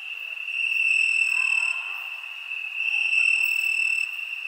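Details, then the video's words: A steady high-pitched cricket trill on a summer night. It swells, dips briefly, then rises again as more insects join the continuous chorus. "Crickets Summer Night"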